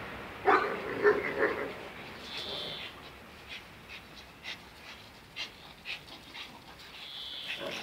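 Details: Two dogs, Zion and Tyson, in their daily fierce fight: a quick run of sharp, harmonic barks and yelps opens, then softer scattered yips and rustling, with a voice briefly audible.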